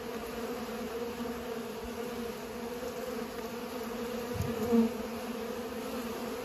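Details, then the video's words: Pollinating bees hum in a continuous low drone, with a brief louder swell near the end as one seems to pass close by. "Bees are pollinating"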